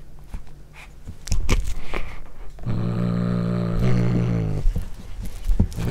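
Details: Cat growling over its first corn: a deep, buzzy rumble held about two seconds with a slight dip midway, after scattered chewing clicks and crunches.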